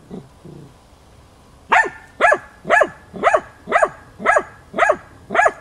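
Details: Hunting dog named Tina in training on wild boar, chasing and stubbornly baying at the boar to hold it at bay, recorded 6 March 2013; a steady series of eight loud barks about twice a second after faint opening sounds.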